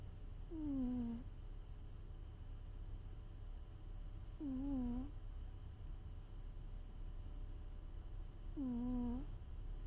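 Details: Sleeping cat snoring: three tonal, slightly falling, whistle-like snores of under a second each, spaced about four seconds apart with the rhythm of breathing, over a steady low hum and faint hiss.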